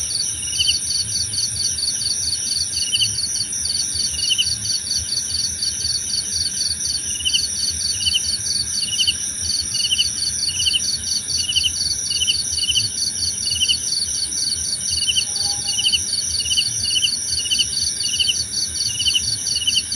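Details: Chorus of crickets offered as calming nature sound for sleep: continuous rapid high pulses layered with regular short chirps roughly every half second, a faint ringing drone on top, one brief lower note near the end.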